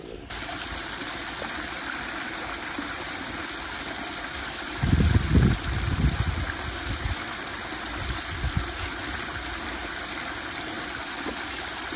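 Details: Running river water fills the whole stretch, with a short louder splashing burst partway through and a faint voice, but no animal call.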